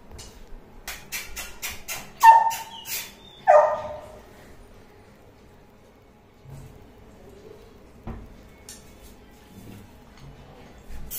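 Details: Labrador Retriever puppies in Hyderabad, a couple of sharp barks near two and three and a half seconds rising to about one kilohertz, preceded by rapid clicking taps and followed by quiet rustling and a person's voice.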